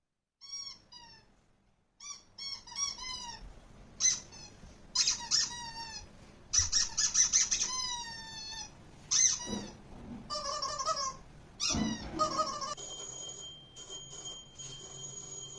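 A Golden Retriever gives a run of thin, high squeaks that slide downward in pitch.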